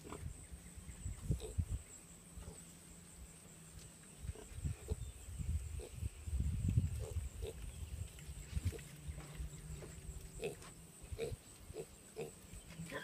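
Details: Registered Tamworth pigs and piglets of a large farm herd running up to the feeding area as the keeper approaches; deep, rough grunts come in bursts and clusters, with scattered short higher snorts over a steady background hum.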